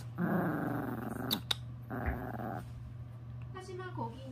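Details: Orange Pomeranian playing indoors, sled and train games on a blanket while following treats; long rough growls of about a second each, two of them, over a steady low electrical hum, with brief voices and clicks near the end.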